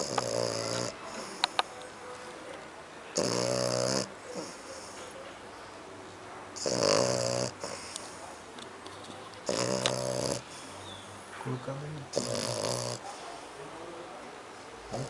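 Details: Snoring from Kiko, a dog associated with French Bulldog and Pug: five rough, rattling snores, each under a second, recurring roughly every three seconds with soft wheezy breaths and small clicks between them.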